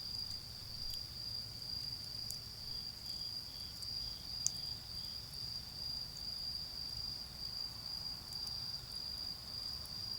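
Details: A continuous high-pitched insect trill in autumn, heard in a garden while a bonfire burns, holding an even pitch for the full ten seconds, with occasional crackles from the fire and faint low traffic hum.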